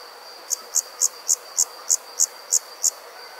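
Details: Summer insects at night in the countryside: nine crisp, high chirps repeated roughly every third of a second, layered over an unbroken high-pitched hum.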